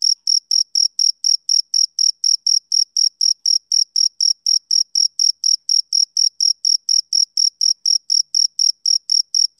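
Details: Male cricket chirping steadily, short high-pitched pulses with a fainter higher overtone, about four per second, evenly spaced and constant in loudness throughout; no other sounds.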